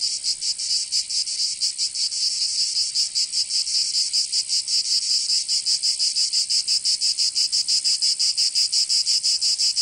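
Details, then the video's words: Summer cicadas in Provence in the south of France, a sizzling high drone that starts fairly smooth and grows into sharper, clearly separated pulses, nearly three per second, with nothing else audible. "Canto Cigarra"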